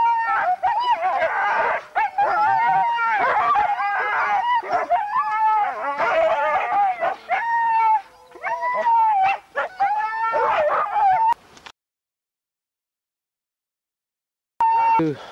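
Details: Sled dog huskies at a race in the Forest of Dean, November 2001, from old VHS tape: a loud, dense chorus of many dogs howling and yelping for about eleven seconds, then sudden silence and one brief final howl.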